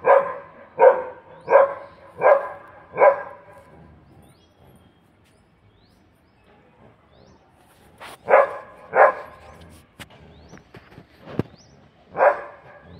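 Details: A single dog barks five times in a steady series about every 0.7 seconds, then after a quiet pause gives three more barks, with faint bird chirps and a few clicks in the background.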